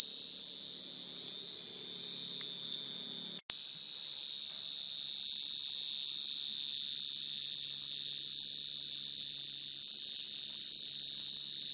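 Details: Field cricket calling females at night, its natural song used as a lure for catching crickets. Shrill steady trill, briefly cut by a sudden silent break after about three and a half seconds, then resumes slightly louder and unbroken.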